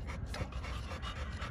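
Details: Short burst of fast, breathy panting from a pocket-type American Bully at a kennel in Romania, rhythmic huffs close to the microphone.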